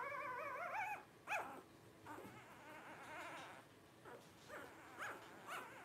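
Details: Blenheim Cavalier King Charles Spaniel puppies, 12 days old, from a litter of five: a wavering whine opens, followed by a string of short, faint squeaks and yips spaced roughly a second apart.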